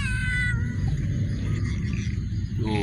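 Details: Cat in a warehouse gives a drawn-out harmonic meow that slowly falls, then a short rising meow at the end, set against a constant low rumbling hum.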